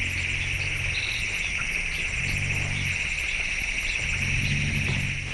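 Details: Forest elephant rumbles recorded in a clearing at night, played back three times faster, come through as low, droning hums over a steady insect chorus.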